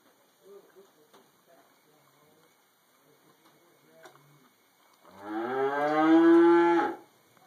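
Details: Cow eating hay in a barn, where other cows also moo, recorded on a Droid X2 mobile phone camera: quiet rustling and munching, then one loud, rich, drawn-out moo lasting about two seconds that rises slightly and breaks off abruptly.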